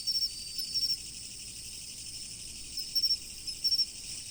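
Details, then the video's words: Autumn insect chorus by a river, with clusters of rapid high chirps repeating about every half second to second against a constant shrill drone and faint low water noise. "秋の虫の音、川の流れ。The sound of insects in autumn, the flow of the river."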